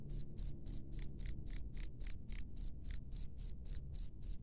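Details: Free-living cricket producing a regular string of shrill, short chirps, around three and a half each second, evenly spaced and loud against a faint low-frequency background murmur.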